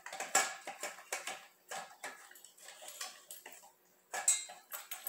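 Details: Eating dog heard close up: quick, wet lapping and smacking sounds repeated several times a second, a pause near four seconds, then a loud slurp resumes the chewing.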